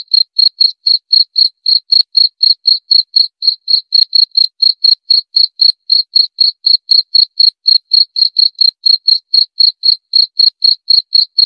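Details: Continuous cricket chirping, evenly spaced high pulses around four per second for the whole stretch, loud and clear against a silent background.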